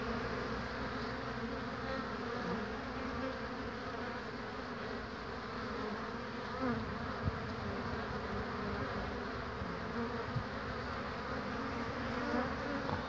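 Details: Pollen-laden honey bees on a cool day, 22 March 2019. Some sit and rest on a hand before flying off. A continuous low drone runs throughout, with faint soft clicks and bumps here and there.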